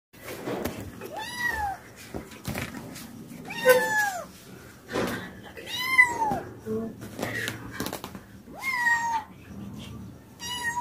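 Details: A kitten climbing down very fast, meowing repeatedly with about six clear, drawn-out mews that rise and then fall, roughly every one to two seconds, over soft background noise and some faint voices.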